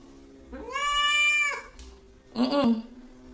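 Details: Domestic cat making a single drawn-out, bleating meow that rises and then holds level, followed by a short noisy thump or scrape.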